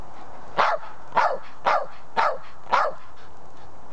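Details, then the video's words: Patterdale Terrier barking to demand a ball that is already lying next to him; five sharp, short barks spaced roughly half a second apart, each a bright burst, with quiet gaps between. "barking for the ball (but its next to him...)"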